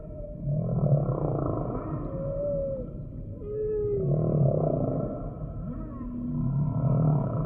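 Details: Humpback whale song: low pulsing moans alternate with brief clear upward-gliding whistles, the deep groans returning roughly every three seconds against a steady rumble.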